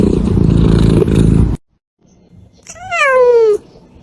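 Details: A domestic cat meows to express emotion, recorded live: after a burst of low broadband noise and a short silence comes one clear, slightly falling meow lasting about a second.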